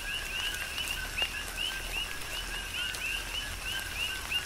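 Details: Rain falls on Hawaii's Big Island as coqui frogs call. Rapid two-note calls, each closing with a climbing whistled chirp, overlap from several frogs over steady rainfall, with occasional louder drips.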